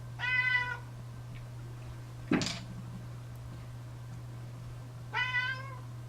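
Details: House cat protesting hairball medicine, recorded in a small room: a short bright meow, a loud knock midway, then a second meow near the end, with a constant low hum underneath.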